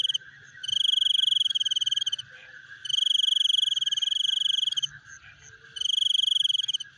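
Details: Frogs calling in the night with a chewing sound: three long, high, rattling pulsed trills of about one and a half seconds each, with short quiet gaps, above a steady background chorus of lower clicking pulses.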